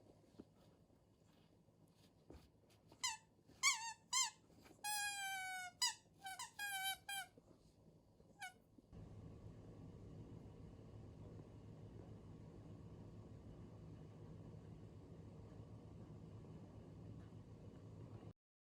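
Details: Anxious female Shiba Inu Haru, born 2019, keeping close to family during a sudden power cut in a rural home: a string of clipped, squeaky whines for several seconds, followed by a quiet, steady mechanical hum.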